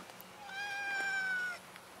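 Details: Domestic cat giving a single long, clear meow lasting about a second, steady then gently falling at the end, in quiet surroundings.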